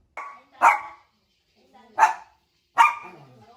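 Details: Pet dog indoors in a small room, confused by an invisible wall its owner set up, giving three loud sharp barks spaced about a second apart, each with a brief tail, after a short softer yelp at the start.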